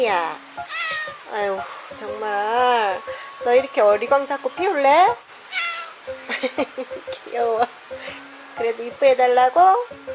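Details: Chatty house cat repeatedly meowing in conversation with its owner indoors, day or night: many short and drawn-out meows, some rising then falling, others wavering, coming every second or so, mixed with a woman's voice.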